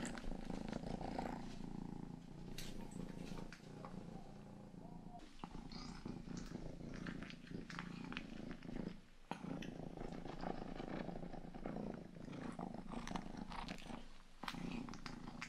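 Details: Steady, long-running purr from Rangi, the family's youngest house cat, recorded up close for ASMR ear grooming; low buzzing pulses continue throughout, broken by occasional sharp licking and rustling clicks.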